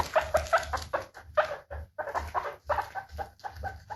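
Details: Steady series of short, bright guinea pig squeaks, about four per second, slightly uneven in spacing, with no background noise.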